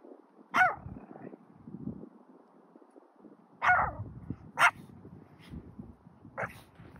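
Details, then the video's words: Young male Pomeranian, two years old, barking while wading through deep snow outside; single sharp yaps spaced irregularly, one early then a quick pair near the middle and a softer one at the end, with snow crunching between. "Beautiful Pomeranian walking in the deep snow"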